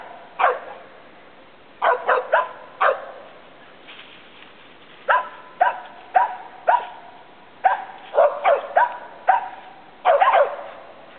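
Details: Two Treeing Feists, Taz and Princess, offspring of old Slick, telling on a squirrel they have treed: high, clipped barks in quick clusters, fired every second or two over a faint background hiss.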